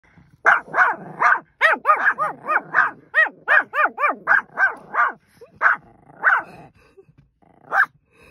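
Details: A Shih Tzu and a Pomeranian barking together: a rapid series of sharp, yappy barks, often doubled and overlapping, about two per second, then tapering to a few spaced barks near the end.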